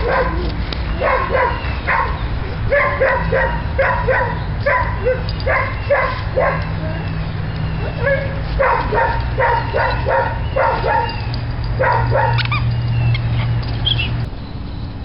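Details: Napoleon, a six-month-old rescued Labrador Retriever puppy up for adoption, gives short, high yips and barks in quick repeated bursts for most of the stretch, over a steady low background hum.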